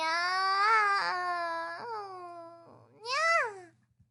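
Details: Baby cats in a compilation of cute kittens: a long, steady, plaintive mew lasting over two seconds, followed by a brief, louder meow that rises and drops.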